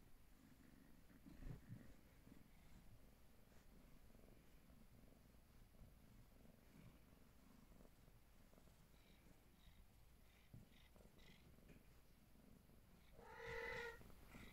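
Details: Peterbald cat, a young female of Siamese-type shorthair build from a cattery in Poland, purring softly indoors: a low, steady rumbling hum running throughout, with a brief higher tonal sound near the end.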